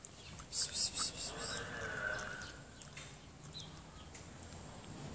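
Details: Hungry mother cat, fed by hand by a woman who looks after cats, gives one drawn-out tonal meow of about a second near the middle, after a few quick crackly bursts, with faint room noise throughout.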